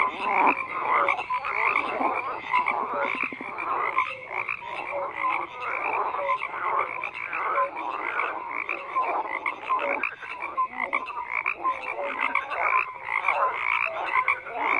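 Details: Many frogs croak together in a continuous, thick chorus; rasping pulses and clicks overlap steadily with no quiet gaps, and occasional short whistled pips stand out.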